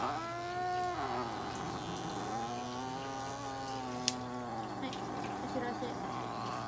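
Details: Norwegian Forest cat named Kone-chan at a veterinary clinic in Nagoya during treatment (light therapy, nail trimming, paw pad clipping, anal gland expression). It gives a short harmonic meow, then a long drawn-out yowl lasting over two seconds, over a steady low hum.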